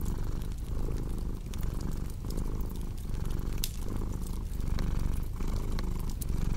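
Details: Cat purring close up, a dense low rumble broken into soft in-and-out breath cycles under a second apart, while a fireplace crackles and pops in the background.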